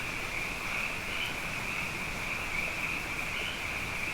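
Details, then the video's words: Frogs, abundant following two wet years, chorusing at night; a constant high buzzing trill with slight swells in loudness, many voices merged into a single sustained sound. "Frog Songs: Na Mele o nā Paloka"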